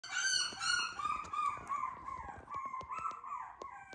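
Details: Teacup poodle puppy, a short-legged micro-to-teacup size weighing 389 g on 12/12, giving high, thin whining cries with bright harmonics that slide downward and then waver, repeated in quick bursts over faint clicks.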